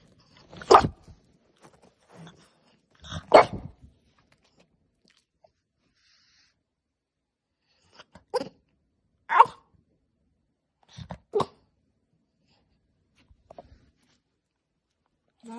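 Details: French Bulldog puppy wanting to try human food, giving short harsh scream-like yelps in bursts, about five loud outbursts spread over fifteen seconds with quiet gaps and faint small noises between, indoors.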